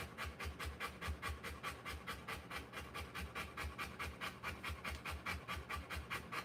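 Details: Rottweiler in labour giving birth to puppies, panting hard in an even, regular rhythm of quick breathy huffs, a little over two per second, with no other sounds.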